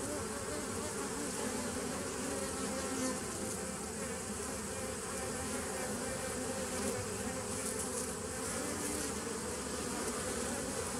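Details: Nucleus colony of bees from 2017, heard on 27 September 2018, giving a thick unbroken drone with layered steady low tones and constant rough buzzing texture for the whole stretch.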